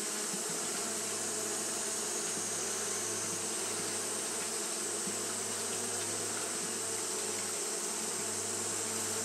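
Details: Hot-day fanning by Japanese honey bees: an unbroken droning buzz from many wings over a steady low mechanical hum, with a constant high hiss.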